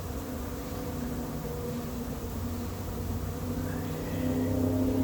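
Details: A late-season swarm of honey bees moves into an empty, unprepared hive. The buzzing is a continuous hum with steady pitched bands that swell slightly louder near the end.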